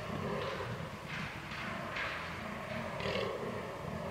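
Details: Rutting fallow deer on 22 October 2022, captured with a Canon R6: low, throaty belching groans repeated in a fast regular rhythm, rasping bursts breaking over them about every second.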